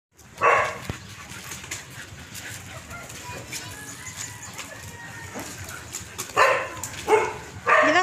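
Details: Dog barks during a walk with two Chow Chow dogs, Coby and Cindy: one short bark near the start, a quiet stretch, then three loud barks in quick succession toward the end over soft outdoor background noise.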